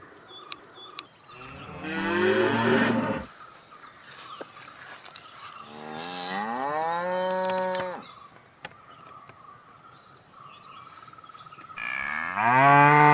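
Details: Cattle mooing three times over several seconds: a harsh, rough low, a long smooth moo rising then held, and a final moo starting at the end, with faint bird calls between.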